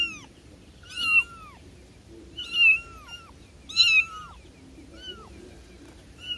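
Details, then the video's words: High-pitched cat meows, five or six of them, each a short rising-then-falling cry, spaced roughly every second or so, with faint low background rustle. "Cat Sounds for calling cats, cats meowing"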